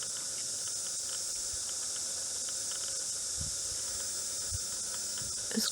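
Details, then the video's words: Night chorus of cicadas recorded at 11:30 p.m. on 9 February 2014, singing long after dusk; an unbroken shrill buzzing sheet of sound continues evenly, ending with a brief rustle or knock. "Cicadas singing/cacaphony at mignight!"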